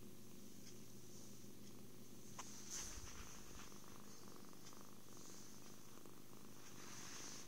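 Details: Happy kitten purring during cuddles, food and sleep, filmed on an Android phone; a steady low rumbling purr runs throughout, with soft rustles and a brief brighter scrape near the middle.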